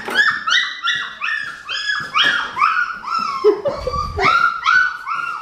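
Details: Female Australian Shepherd puppy, red merle, from an Oklahoma breeding farm, giving a string of high, nasal whines, each sliding up and dropping away, repeated about every half second with no voices over them.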